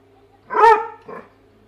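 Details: Indoor Weimaraner excited by fish in a tank it cannot reach, giving one strong harmonic bark followed by a short softer grunt-like bark, over a faint constant hum.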